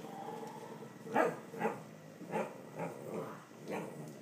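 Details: Cavalier King Charles Spaniel at home barking at a toy dog pictured on a box that holds a potty park, treating it as an invader: a run of six short, muffled barks spaced about half a second apart.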